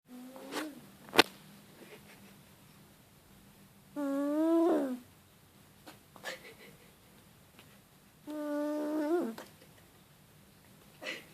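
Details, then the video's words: A sleeping cat snoring cutely. Two drawn-out, whistling, nasal snores about a second long come roughly four seconds apart, with a fainter one at the start and sharp clicks between them. A low steady hum fills a quiet room. "Кошка мило храпит"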